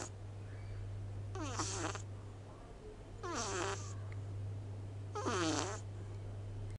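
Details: Small male cat sleeping with eyes half open, giving big snores: three fainter, wheezy, harmonic snores with falling pitch, spaced about two seconds apart, with a constant low hum behind.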